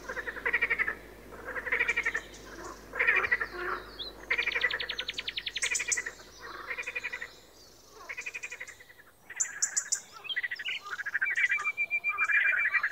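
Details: One frog croaks steadily in grating, pulsed bursts about a second apart, while some sharper high chirps and a thin whistle-like tone join in the background.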